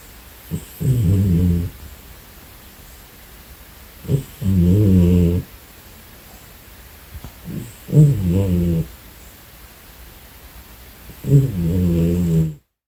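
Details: Domestic cat, a female, snores during a nap: four low, raspy, buzzing snores roughly every three and a half seconds, each about a second long, with soft intakes of breath between.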